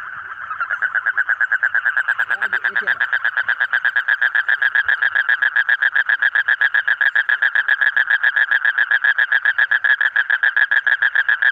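A frog gives a long, steady pulsed trill, a fast rattling buzz held without a break.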